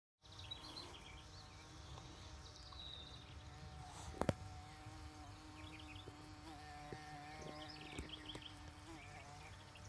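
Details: A female carpenter bee drills a nest into a nest-box pole while the male watches, giving a steady, low droning buzz as she bores into the wood.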